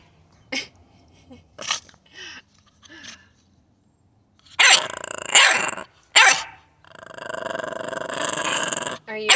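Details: American Bully puppy giving short growly yelps and barks, several brief bursts then a sustained rough growl, with a woman's voice nearby.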